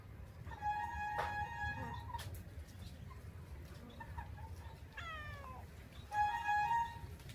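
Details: Domestic cat, described as handsome, clean-furred and plump, stalking a bird; drawn-out tonal meows and a quick falling chatter-like call, over low rumbling background noise.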